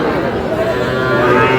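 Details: Sahiwal bull calf at a cattle market on 23 June, bought by a London-based expatriate; a steady, drawn-out harmonic moo lasting the whole moment, with crowd chatter and voices of the busy market around it.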